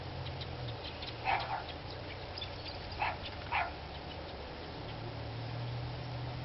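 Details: Barking dogs recorded on 29 March 2013, giving three short barks, two close together near the middle, set against a low continuous rumble like an engine idling.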